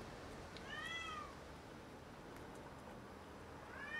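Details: Domestic cat bringing home a caught rat to brag: one clear arching meow, rising then falling, followed by silence and the start of a second meow at the end, against quiet room noise.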